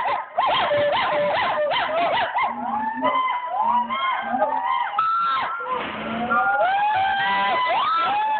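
Gibbons give loud, overlapping whooping calls, with notes sweeping up and down in quick succession.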